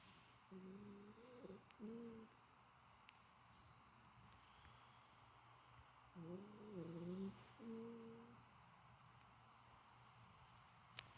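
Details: Golden Retriever puppy asleep and snoring, described as fairly quiet today; two bouts of wavering, whistle-like nasal snores with a tonal, humming quality, each lasting about two seconds with a quiet pause between, in a still indoor setting.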